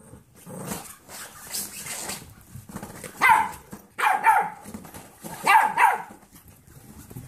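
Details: Kirby, an 8-year-old foster dog, plays with 8-week-old golden retriever mix foster puppies he adopted as his own; quiet rustling broken by three bursts of sharp, high barking with a growly edge.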